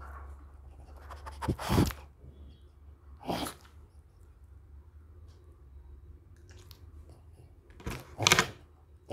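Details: A female French Bulldog in India eats different fruits, with bursts of wet chewing and crunching between quiet pauses.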